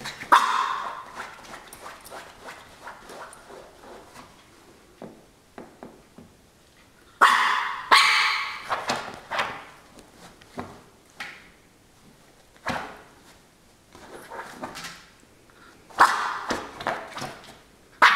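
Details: While attacking a pillow, a Norfolk Terrier gives scattered short yips and snorts, then three louder bouts of harsh growling barks, each about a second long, between stretches of soft rustling.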